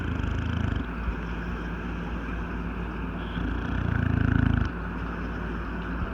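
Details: English Bulldog, an old male known to snore while asleep and awake, gives deep rattling snorts: a short burst at the start, then a louder, longer rumble near the end, with quieter wheezy breathing and a low steady hum between.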